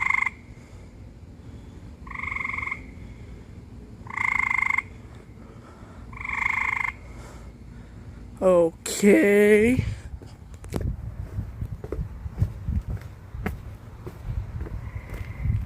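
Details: A frog in a pool gives a weird nasal, buzzy note about every two seconds, followed by a person's startled voice.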